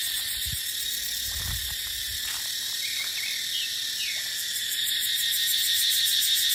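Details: Continuous high buzzing cicada chorus in a dry dipterocarp forest in the dry season, pulsing steadily, with a couple of short bird chirps mid-clip and low wind gusts in the first two seconds.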